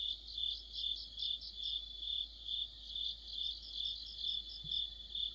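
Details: Cricket-led insect chorus on an autumn night near a streetlight, dense high-pitched trilling with chirp pulses repeating around twice a second and a brief low thump near the end.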